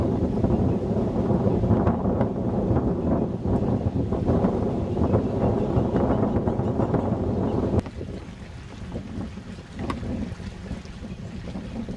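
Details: Heavy wind buffeting the microphone with water and boat noise, easing after about eight seconds; no animal calls are heard.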